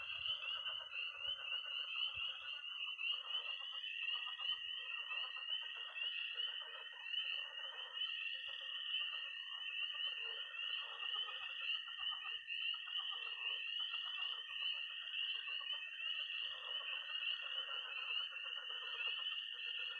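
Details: Early spring night chorus in Missouri from peeping tree frogs, croaking pond frogs and high-pitched trilling toads, heard as an unbroken shrill trill layered over a busy stream of rapid peeps and pulses.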